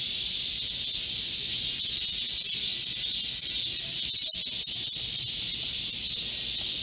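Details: A chorus of Korean cicadas in a green forest at midsummer, recorded 25 July 2024 in heatwave conditions. Constant piercing high buzz, unchanging in loudness, with a few soft ticks in the background.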